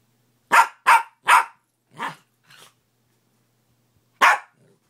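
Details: Morning barking from a pet dog: three strong barks in a fast row, two weaker ones trailing off, silence, then one more loud bark.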